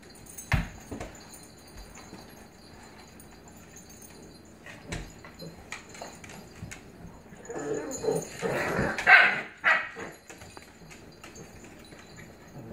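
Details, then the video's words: Dogs, a blue Pit Bully puppy and an adult Staffordshire Pitbull Terrier, with the puppy "dominating" the adult. A few sharp isolated barks, then a dense, noisy burst of barking and growling in the middle, fading to quiet background. "GORGEOUS Blue Pit Bully Puppy "Dominating" Adult Staffordshire Pitbull Terrier"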